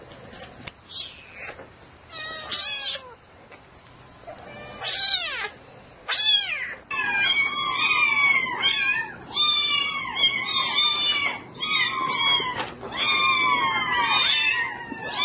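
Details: Insistent nighttime meowing from a domestic cat seeking a mate: loud, harmonic cries come in quick bursts, starting spaced and then running almost continuously, several wavering and rising into caterwaul-like wails.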